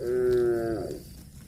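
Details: Cow mooing while grazing on grass: one short, steady, tonal moo held for under a second, then sagging downward as it fades, with faint background rustle.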